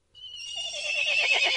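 A horse whinnies, starting on a high, clear note that breaks into a shaky, quavering neigh.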